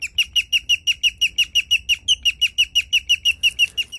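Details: A guinea pig gives the rare chirping call, a fast, steady run of high, bird-like notes about three a second, over a faint low hum.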